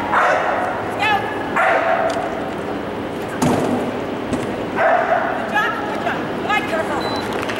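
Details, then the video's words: Standard Terrier at a terrier trial, barking in bursts: several sharp yapping barks around one, two, five and six seconds, over constant crowd chatter and background noise. "Std Terrier Trial"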